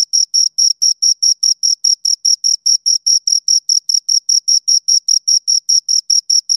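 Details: Pair of crickets producing rhythmic, high-pitched chirps at a quick regular pace, each pulse short and clean, with nothing else audible behind them.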